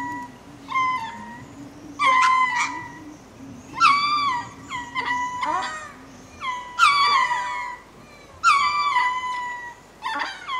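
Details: Ring-tailed lemurs at Berenty Reserve, Madagascar, giving spacing calls on going to roost: repeated wailing, meow-like calls roughly every one to two seconds, some breaking or wavering in pitch, over a low background hum.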